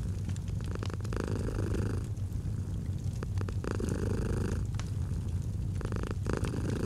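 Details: Soft, steady purring of a domestic cat, low rumble pulsing with breaths, over crackling and popping from a fireplace in a relaxing autumn scene.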